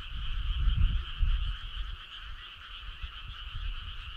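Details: Frogs chorusing on a summer night, an even high buzzing trill in two layers, with strong low rumbling early that fades to softer murmurs.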